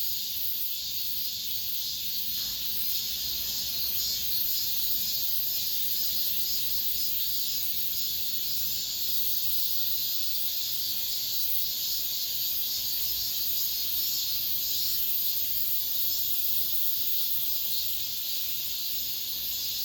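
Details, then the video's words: Last cicada song of the summer inside an apartment complex: a continuous shrill droning chorus, high and hissy, holding an even level throughout with slight pulsing swells. "올 여름 마지막 매미소리, 아파트 단지 내"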